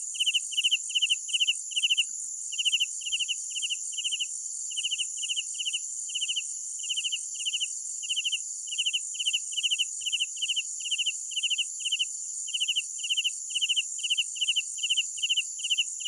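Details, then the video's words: Steady nocturnal cricket chirping, clipped pulse groups repeated regularly for the whole stretch, with an unbroken shrill insect drone higher above. "Sounds of Night Crickets"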